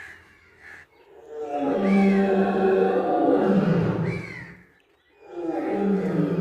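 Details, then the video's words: Lion roaring while eating meat: a long, loud, deep rumbling roar lasting about three seconds, a short silence, then another heavy roar begins. "Lion Eating Meat Roar"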